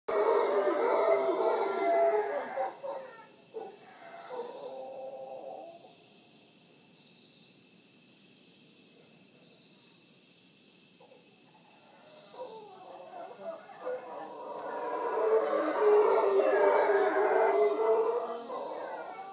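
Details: Wild howler monkeys visiting in the morning at Villa Toucan, Punta Uva, Costa Rica, near the Manzanillo Wildlife Refuge; loud roaring howls swell at the start, fade to near silence mid-clip, then build again into a sustained chorus.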